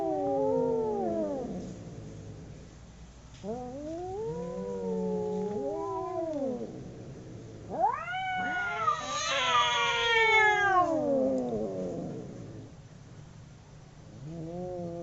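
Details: Two domestic cats howling while fighting: long wavering wails that rise and fall, overlapping one another, with a loud, strained peak of rising then falling cries midway and a fresh wail starting at the end.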